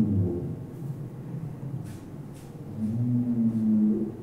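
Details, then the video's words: A male humpback whale sings on its winter breeding grounds, low moaning units swelling into a sustained, slightly wavering tone; only males sing, likely to attract females or defend breeding grounds. "listen to a humpback whale song"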